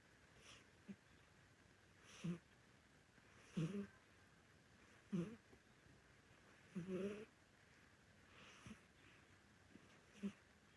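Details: A sleeping old Korean Shorthair cat with an orange coat snores at home. The rough, wheezy snorts are uneven in spacing and strength, some short and some drawn out, against near silence.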